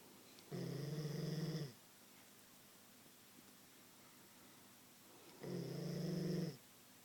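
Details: Queensland Koolie sleeping indoors: two drawn-out, droning snores of about a second each, roughly five seconds apart, steady and buzzy with strong harmonics, over a quiet room hiss.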